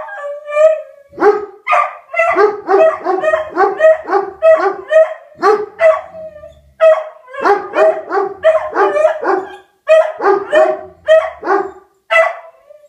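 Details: Two dogs, Rufus the Beagle and Axle the German Shepherd, set off by a tornado siren: continuous loud baying with yelping barks and drawn-out howl notes, in rapid runs broken by short pauses.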